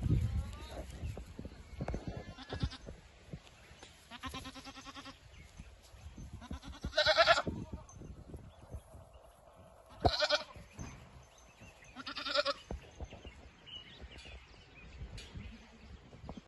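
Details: Female Boer goat bleating repeatedly, with nasal, quavering calls arriving every two to three seconds, five clear bleats in all, over steady shuffling and low thumping noise.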